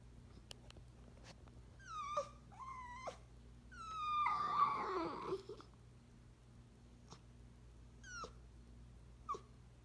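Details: Elderly 18-year-old Chiweenie, a Chihuahua and Dachshund mix, crying indoors for her favorite person; high falling whines repeated, then a longer drawn howl around the middle, followed by more short whimpers over a low hum.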